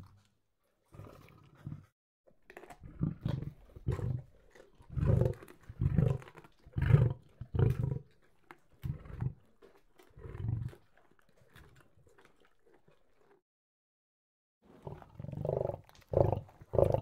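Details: Lion while eating, giving a run of short, deep, throaty growling bursts, each under a second, irregularly spaced across the first eleven seconds, a pause, then a fresh cluster of rough low growls near the end.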